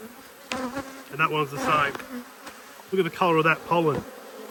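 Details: Cross honey bees circling during an inspection of two hives, 5 March 2022: two clusters of close buzzing passes, the drone sliding up and down in pitch as bees zip near, with a steady low hive hum between them.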